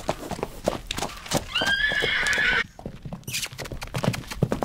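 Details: Stallion kept together with a mare lets out a whinny of about one second, a clear tone that climbs then wavers and ends abruptly, over steady clip-clop of hooves and rustling noise.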